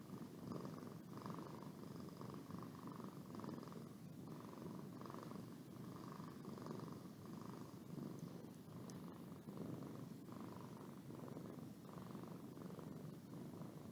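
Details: Steady purring from Boo, a domestic cat, during a yawn; rhythmic low throbbing with regular breath-paced swells roughly every second, a faint tonal hum on top, no other sounds.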